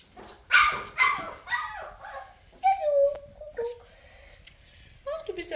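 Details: Labrador Retriever puppies cuddling and being toilet trained: high, thin whines and squeals, some sliding down in pitch, come in short bursts separated by pauses, with a woman's voice talking nearby.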